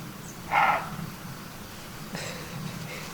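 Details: A roe deer very close in bushes on a rainy morning in hilly Tuscany, between Castiglione d'Orcia and Radicofani, Italy, gives a short, harsh alarm bark, then a fainter second bark, read as warning intruders away.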